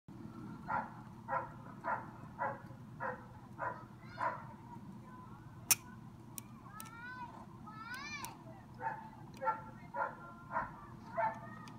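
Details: Dog barking loudly: a regular series of short barks about every half second, a pause with sharp clicks and rising squeaky sweeps midway, then barking resumes, all over a steady low hum.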